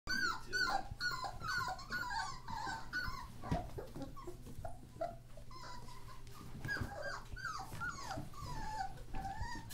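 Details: Litter of thirteen German Shorthaired Pointer puppies born on New Year's Day 2014, indoors: many overlapping high, thin whines and squeals, rising and falling, some with a faint buzzy edge, in a steady busy chorus with low room hum beneath.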